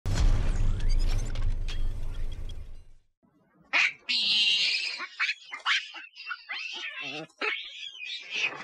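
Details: Loud monkey calls: after about three seconds of low, rumbling noise, a run of harsh, shrill screeches and squeals follows, broken by short gaps and uneven chatter.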